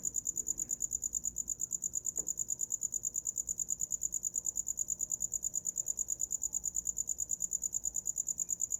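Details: Night cricket sound: continuous shrill, evenly pulsed chirps at a fast steady rate, a single faint knock partway through, otherwise quiet low background.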